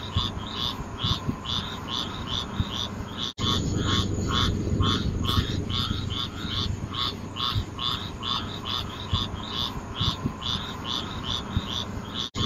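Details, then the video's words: A frog chorus of quick, regularly pulsed croaks keeps up a constant rhythm with bright upper tones, set against a continuous low rumble, with two sudden short gaps. "Relaxing Sounds Nature Sounds frog"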